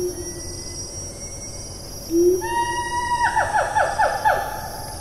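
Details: Siamang calling in the rainforest of Taman Negara National Park, Malaysia, on 4 April 2019. A single rising hoot leads into a fast run of sharp, descending barking notes, about four each second, over a constant high insect drone.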